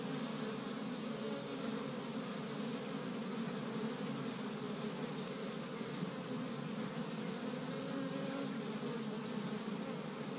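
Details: On a first warm spring day in Michigan, an established hive of honey bees busily forages pollen from tree buds. Unbroken, low, humming buzz of many bees, uniform in tone, filling the whole stretch.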